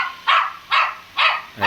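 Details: Shih Tzu named Laddu, a little pet dog in India that follows its owner around, barks four times in quick succession, each bark bright and sharp, roughly every half second.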